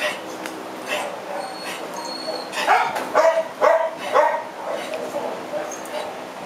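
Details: At the TUAPA shelter on 4 July 2010, Punk, a female French Bulldog who cannot stand because of hip joint problems, gives three or four rough barks in quick succession, with people talking in the background.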